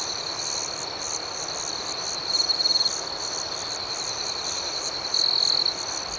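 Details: Nighttime cricket chorus pulses steadily and high-pitched, broken by two louder, clearer trilled chirps, one near two and a half seconds and one near five seconds.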